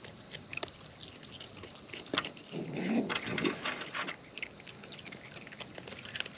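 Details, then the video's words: Wild raccoons eating at close range, irregular crunchy bites and clicks with a louder, rougher rustling stretch in the middle, then sparser chewing ticks toward the end. "Wild Raccoons & ASMR Chewing Sounds"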